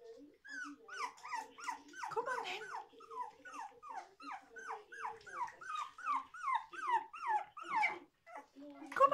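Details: Toy Poodle puppies whimper and yelp indoors in a rapid run of high, bending squeals, about two each second, with lower moaning notes underneath near the start.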